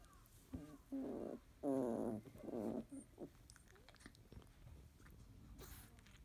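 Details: Sleepy 31-day-old field-type Labrador Retriever puppies in the morning, yellow female Debbie up first and mouthing a sibling's head. A quick run of three or four strained whining grunts early, then quiet rustling and small clicks.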